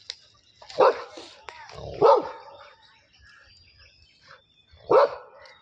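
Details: Labrador Retriever confronting a buffalo gives three loud, abrupt barks spaced irregularly, one to three seconds apart, with softer scuffling and voices between them.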